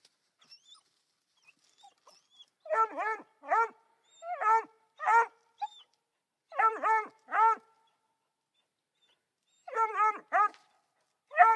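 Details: Three-month-old female Black and Tan coonhound named Dazey, born January 6 2013, barking at a raccoon in a tree, the first she had seen. Harmonic, yelping puppy barks come in uneven clusters of two to four, with short silences between.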